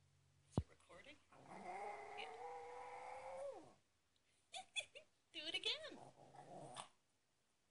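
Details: Pet dog indoors howling like a coyote: one long, steady, even-pitched howl lasting about two seconds, then a pause and a few short broken yelps mixed with a person's voice.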